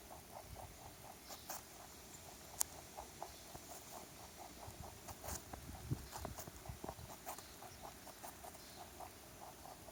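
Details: Stray rabbit that wandered into a backyard, chewing a carrot: steady rhythmic crunching, roughly three to four bites a second, with a few sharper clicks and a low constant hum behind.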